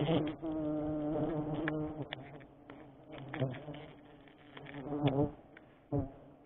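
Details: Giant honey bees (Apis dorsata), known locally as tawon gong, buzzing during a sustainable honey harvest: a dense, steady droning hum that swells and fades, with scattered clicks and knocks from the work.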